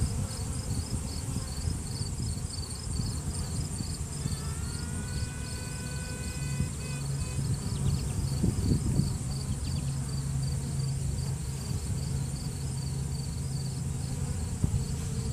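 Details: Virgin honey bee queen piping inside a hive to assert dominance, recorded on a cell phone during a routine hive check. A long, slightly rising trumpet-like tone of about two seconds is followed by brief toots over the steady low hum of workers.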